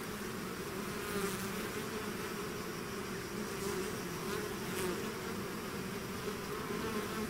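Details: Honeybee swarm out of its hive: a dense, continuous droning hum with steady bands of overlapping wingbeat tones, a few louder buzzes as single bees pass close, steady in loudness throughout.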